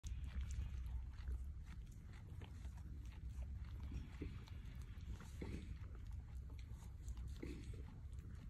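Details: On a farm in Mont-Saint-Hilaire, Quebec, a goat chews its cud, with steady low grinding and soft clicking jaw movements.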